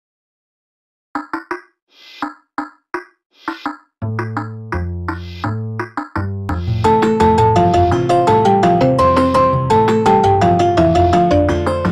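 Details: Synthesizer music opens with spaced plucked notes, then bass chords enter and a quick, steady melodic line builds to a busy, bright texture; no seal or other animal voice is present.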